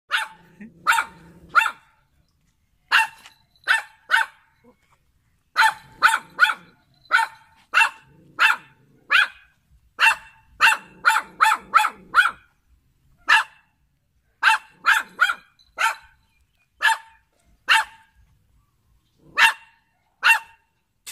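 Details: A poodle barks repeatedly: sharp, high, clipped yaps, mostly in quick bursts of two to four, separated by short silences, with faint low sounds between some bursts.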